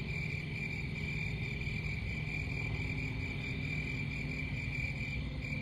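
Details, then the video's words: High, ringing cricket chirps repeat in a regular, unbroken pulse, accompanied by a persistent deep background rumble. "Crickets Sound"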